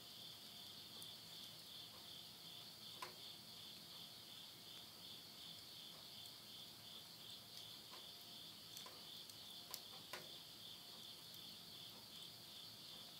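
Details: Insects at midnight at summer's end in the Tottori countryside, Japan, September 2020: a sustained shrill trill hums on steadily, with scattered crackles and pops from wood burning in a stove.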